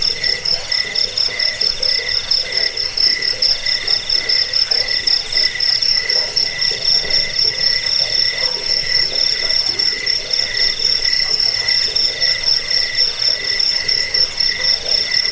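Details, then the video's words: Crickets called jangkik, used to scare rats, help sleep and teach birds their song: long unbroken high ringing trill of fast pulses, with a second lower buzzing strand pulsing rhythmically beneath it, nothing else audible. "Suara jangkik pengusir tikus pengantar tidur"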